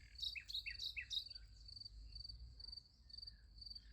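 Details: Sunflower field at night with crickets: four quick downward bird chirps open, then the crickets' high pulsed chirping repeats steadily, about three pulses per second, over low rumble.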